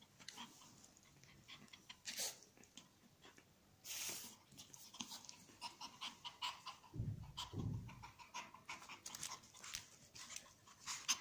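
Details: Pomeranian spitz puffing and growling because it wants to take something: rapid, noisy panting breaths in short bursts, with a brief low rough growl near the end.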